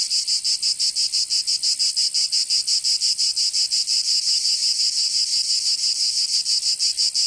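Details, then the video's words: Provençal cicadas in the southern French summer give a continuous shrill, sizzling drone. It throbs in quick, even beats of about three per second and keeps a constant loudness. "Escuchar les cigarras en verano"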